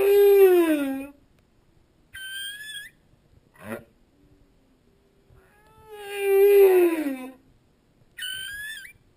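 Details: A humpback whale sings underwater in a repeating phrase. A deep descending moan is followed by a high squealing note and a brief rising sweep, then the same moan and squeal return about six seconds later.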